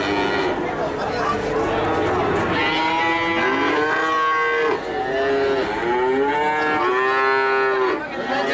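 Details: Young cattle for sale, Limousin and Brahman calves about three to four months old. Several drawn-out, wavering moos overlap, rising and falling in pitch, with other animals calling faintly behind and a steady crowded background.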